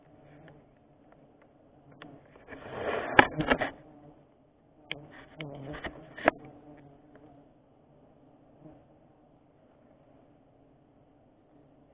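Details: A steady low mechanical hum, interrupted by two brief spells of handling noise and speech, with no animal sound.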